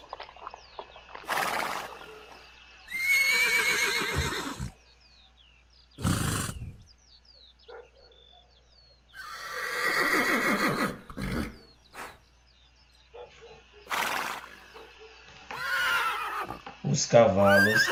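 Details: Horses in a galloping herd neighing repeatedly: several loud quavering whinnies, some descending, spaced several seconds apart, with short snorts and quiet stretches between.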